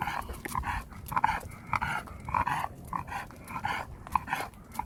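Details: Pet dog Khan, sulking after finally returning home from Gageodo island, gives short, harmonic, moaning grumbles in quick succession, roughly a hundred bursts a minute, each rising and falling in a whiny mid-pitched tone indoors.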